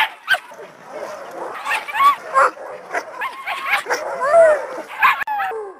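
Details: Siberian husky vocalizing in a run of short, bending yips and whines that rise and fall in pitch, delivered in quick bursts, with a few sharp clicks near the end.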